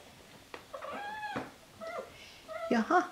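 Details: Seven-week-old Siberian kittens indoors, playing, eating and being rubbed; three short harmonic meows, the first long and level, the second briefer, the last louder and wavering, with a quiet human voice nearby.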